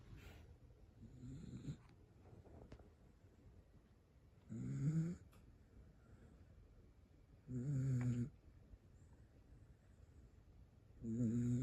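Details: Sleeping Toy Poodle snoring indoors: four nasal, buzzy snores with low harmonic tones, each lasting under a second and recurring roughly every three seconds, with quiet breathing between them.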